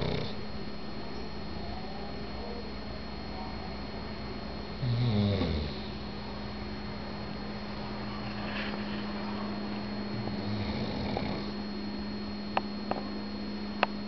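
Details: A male pug asleep and snoring softly, low rough breathing under a steady electrical hum, with a louder low rumble near five seconds and a few sharp clicks toward the end.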